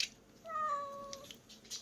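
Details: Single drawn-out meow from Bomi, a pretty-voiced cat living in a privately run island-village shelter with some 40 rescued animals, held at a steady pitch for under a second and then dropping away into soft background hiss.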